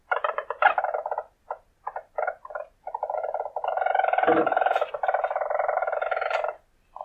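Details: Wild weasel giving a run of short, rapid, purr-like chattering bursts that merge into a long, sustained buzzy trill of about two seconds, then stop abruptly. A brief low thump is heard midway.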